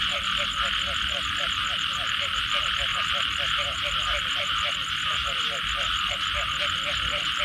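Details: Post-rain frog chorus of brisk, repeated croaks, many callers overlapping in dense runs, set against a persistent high-pitched insect drone and fast regular ticking.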